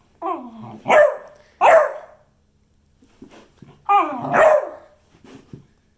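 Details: Beagle giving drawn-out, bark-like baying calls indoors in a small room: wavering, falling, yodel-like notes in uneven bursts with short gaps, plus a few soft huffs.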